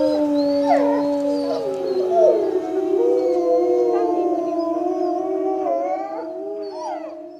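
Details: Several Eurasian gray wolves at a zoo howl together in long, overlapping tones at different pitches amid settled snow.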